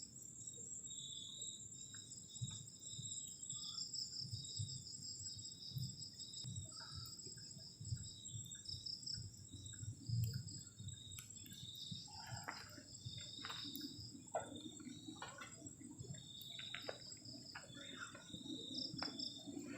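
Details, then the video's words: Cold-night crickets trilling around a garden shelter at the forest's edge: high pulsed bursts repeating over the whole stretch, joined by knocks, clatter and taps from camp cooking and a low ambient rumble. "ENJOYING THE SOUND OF CRICKETS ON A COLD NIGHT"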